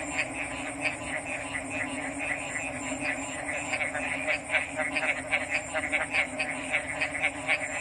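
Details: Frog chorus that starts softer and fills out, with short pulsed croaks repeating quickly and overlapping, set against a continuous high, thin background hiss.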